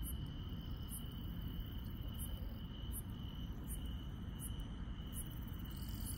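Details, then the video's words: Insects in the countryside at night give sharp high chirps in a regular beat, roughly one every 0.7 seconds, above a softer steady trill and a heavy low background rumble. "시골 밤의 정겨운 풀벌레 소리"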